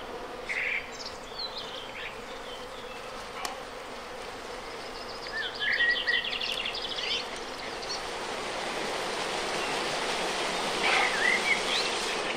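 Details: Natural honey bee swarm being moved into a reed-and-wood trunk hive at a teaching apiary, Villa le Bosquet; continuous buzzing drone that swells toward the end, with scattered bird whistles and chirps over it.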